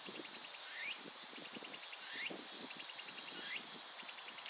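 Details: Japanese cicada singing: a steady, high, shrill buzz runs throughout, with pulsed ticking and a rising whistled sweep repeating about every one and a half seconds; faint low rustling beneath.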